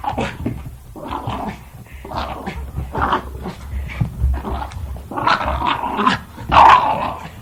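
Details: Playing Jack Russell Terrier making throaty growls and grumbles in uneven bursts, getting louder and denser toward the end, with a snarling peak near the close.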